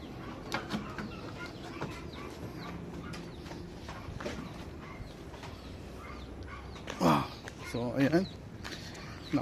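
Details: Pregnant goats being let out into the warm sun on a backyard farm, near corn silage. Two short, quavering, harmonic bleats come close together near the end, after a stretch of low murmuring, scattered bird chirps and rustling.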